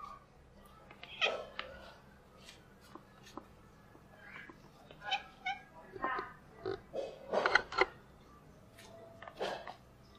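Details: Classic tabby kitten meowing as she does her best to get food; several short harmonic meows, some rising then falling, come in irregular bursts across ten seconds over a quiet background.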